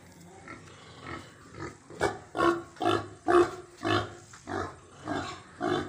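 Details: Pigs on a farm while eating, giving a run of short, rough grunts, about ten in six seconds, each a broad husky burst, growing louder toward the middle and repeating roughly every half second.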